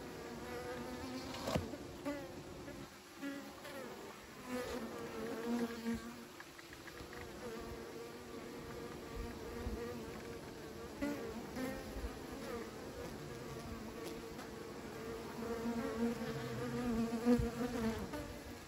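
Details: Humming of many bees kept by beekeepers, a continuous droning buzz with shifting pitch and occasional louder passes over nearly twenty seconds.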